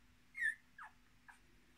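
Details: Miniature Australian Shepherd puppies, a litter of six born 10 March 2020, with their mother: a thin, high, slightly rising whine, then two shorter squeaks that slide downward, all within under two seconds.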